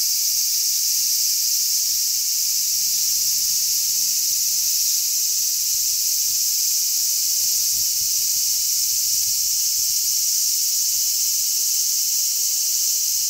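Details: Many large brown cicadas chirping together on a zelkova tree on 3 August 2010, forming a dense, unbroken, high-pitched sizzling drone that never pauses, with strong sea breeze rumbling low underneath.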